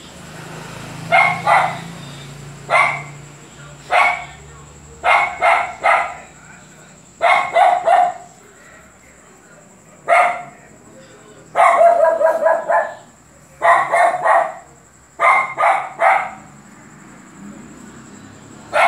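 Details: Luphe, a dog, barking insistently in quick clusters of two to four sharp barks, each burst a second or two apart, with a faint voice and a steady high whine in the background.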